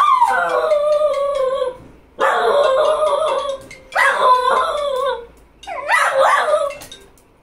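A cocker spaniel gives four drawn-out, wavering howls, insisting its owner answer the phone.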